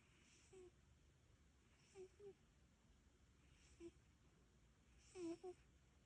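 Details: A cat napping after a day spent guarding the summer greenhouse garden from critters: faint, soft snoring breaths, each a brief low tonal snuffle, recurring roughly every one and a half to two seconds in a quiet room.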